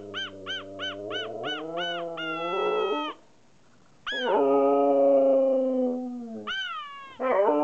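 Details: Siberian Husky Kai talking back to its owner: a run of about six quick, bouncy yips, then a sustained wavering howl, a brief silence, another long drawn-out howl and a final rising call.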